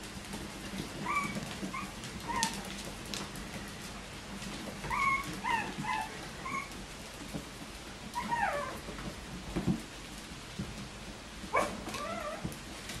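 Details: Bichon Frisé puppies, litters O and P, at a small Danish kennel, whimpering in clusters of short high squeaks, some descending whines, repeated bursts separated by quieter gaps with steady low hum and rustling.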